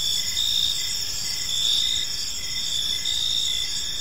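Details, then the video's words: Crickets in a park as evening falls, a continuous high ringing chorus with brief repeated chirps rising in loudness every second or so, low steady ambient noise underneath. "Park Serenade: Cricket Sounds in a Peaceful Park | Evening Ambience"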